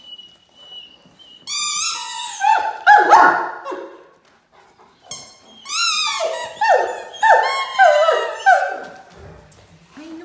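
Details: Playtime with toys between Great Dane puppy Mikey, 7 months old and 110 lb, and two-and-a-half-year-old Ellie; bursts of high, harmonic yelps and whiny barks come in two clusters, with a steady tone faintly heard at the start.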